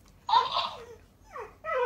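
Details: Female Alaskan Malamute indoors in a small room, vocalizing back at a talking toy hamster: one short wavering moan, then the toy's higher, sped-up squeaky copies of her sound.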